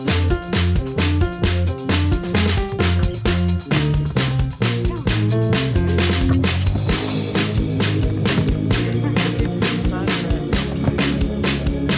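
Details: Upbeat funk-style music with a steady driving drum beat and bass throughout, no animal voice audible.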